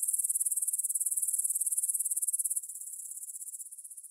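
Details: High buzzing stridulation of grasshoppers at 9pm, 6 September 2020, in a field by Bryansk's Svensky monastery, Russia; Tascam DR-44WL recording. Rapid, distinctly pulsed trills, loud at first, dropping to a softer, thinner rattle after about two and a half seconds.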